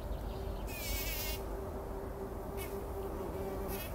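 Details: Bumblebees working poppy flowers before sunrise, rolling in the pollen; a thin, steady droning hum runs through most of the moment while a bright bird trill rings out near the start and another bird calls briefly toward the end.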